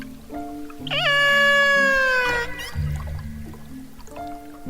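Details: A killer whale, recorded by underwater hydrophone near Seward on Alaska's Kenai Peninsula, gives a rising then slowly falling harmonic call; researchers identified it as an AT1 whale trying to reach the rest of its pod. Soft music plays beneath.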